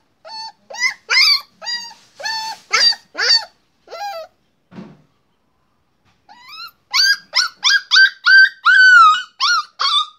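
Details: Puppy barking in short, high-pitched, harmonic yips: a quick uneven run, a quiet gap of about two seconds, then a denser burst of rising and falling yelps, ending in a longer whiny yip. No other sounds.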